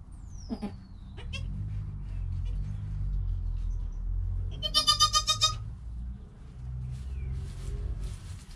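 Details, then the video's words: Newborn goat kid Joel, filmed on a GoPro within an hour of birth beside his calm mother Penny, gives one strong, harmonically rich wavering bleat lasting under a second, after a thin descending whistle and scattered clicks over a low background rumble. "4K Baby Goat - One Hour Sound and Video"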